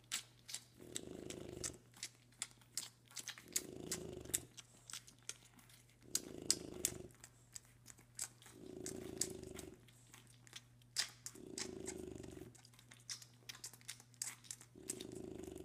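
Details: Three 4-week-old French Bulldog puppies eating dinner in a small quiet room. They make low, purring snorts and grunts in bursts every two to three seconds, with sharp wet smacking and lapping clicks between breaths.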